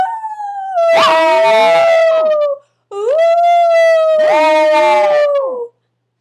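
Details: Maltese dog howling as if a wolf, two long loud tonal howls, each held steady then sliding slightly downward, rich in harmonics, separated by a short pause, with rough breaking bursts in the middle of each.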